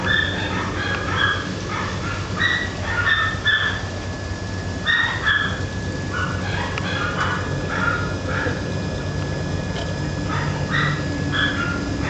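A Basenji gives a run of short, tuneful yelps and yodelling whines over a steady low hum.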